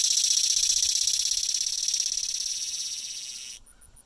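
A cicada sings a loud, continuous high-pitched buzz that stops abruptly.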